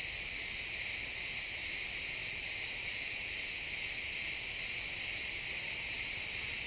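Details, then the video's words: Crickets chirping in a pine forest at sunset, recorded in XY stereo: a dense, steady, high-pitched chorus of overlapping trills with no pauses, forming a continuous shimmering drone through the woods. "Cricket sounds in the pine forest"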